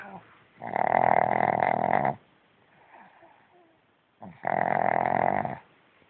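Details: Franklin the pug lies in bed and snores emphatically, though awake with eyes open, to avoid getting out of bed: two long, loud, rasping snores of about a second and a half each, separated by a quiet pause.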